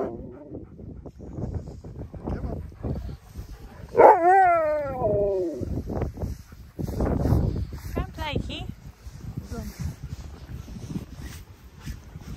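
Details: Husky named Key, an arguer especially about food, lets out a drawn-out wavering howl-like whine, then shorter yips and grumbles, while a person talks back over it.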